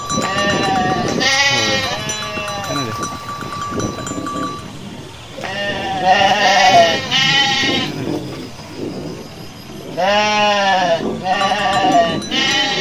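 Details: Garut sheep, dozens running in a rice-field area while male rams rage; many overlapping bleats from several animals coming in quick bursts, with a brief steady tone and constant background bustle.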